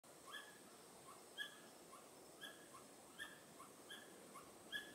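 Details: Pallas's squirrel with its tail raised, on the Tiaoshui Historic Trail, 15 April 2018: faint, sharp harmonic call notes repeated roughly once a second over a steady hiss of background noise.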